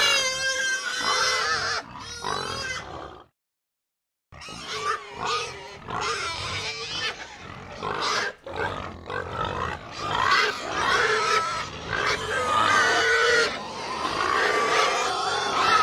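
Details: Herd of pigs screaming and grunting madly: a shrill wavering scream, a brief silence, then a rapid stream of overlapping grunts and squeals from many animals.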